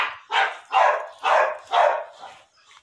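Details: Female pit bull in her second heat, recently mated; four loud, broad barks about half a second apart, fading into a softer fifth bark and faint trailing noise.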